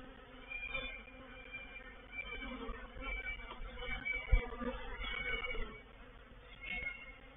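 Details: Honey bees in a reproductive swarm moving into a bait hive at Painted Peacock Manor on 04/07/21; a dense, uneven low buzz that swells and fades, with brief louder bursts and thin higher tones drifting over the hum.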